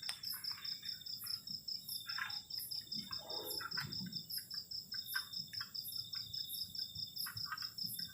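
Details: Cold-night crickets near a garden shelter keep a rapid high pulsing trill, with an even higher chirp repeating about three times a second, over a steady drone. Scattered clicks and a soft low rustle are also heard.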